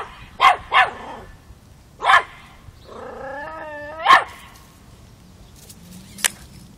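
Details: Five-month-old Miniature Pinscher puppy named Chocolina, also called Chiquita, confronting a mature cat in Kiev, Ukraine, October 2013: three sharp yappy barks, then a drawn-out whining growl with stacked harmonics, another bark, and a faint click at the end.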